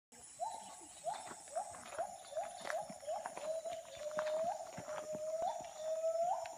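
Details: Bornean gibbons call at dawn in the Danum Valley rainforest, Sabah, Borneo, a steady series of rising, hooting whoops with a high insect drone behind.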